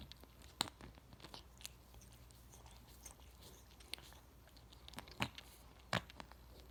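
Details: Self-grooming house cat, very loud licking: scattered soft tongue laps punctuated by three crisp, loud smacks near the start and end, indoors against faint steady hum.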